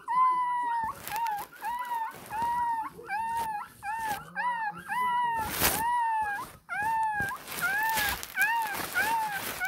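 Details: A 20-day-old Shih Tzu puppy, apparently angry, cries in quick, arched squeals, repeated over and over, demanding milk.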